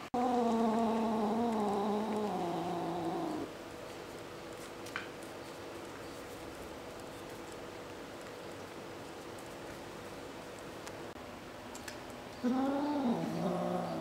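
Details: Kitten refusing to share a shrimp: a drawn-out, wavering low yowl-growl lasting about three seconds, then near silence, then a second rising-and-falling growl near the end, indoors.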